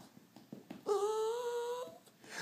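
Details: Indoors, a pet dog performs its trick of imitating a cat when asked, giving one drawn-out tonal whine of about a second that rises gently then lifts at the close; an owner's spoken request and 'good boy' frame it.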